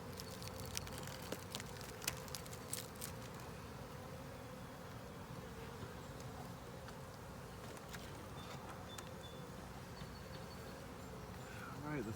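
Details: Honey bees hum inside an opened hive, a 10-frame deep with a honey super, while it is inspected. A continuous even drone runs throughout, dotted with light taps and scrapes of equipment.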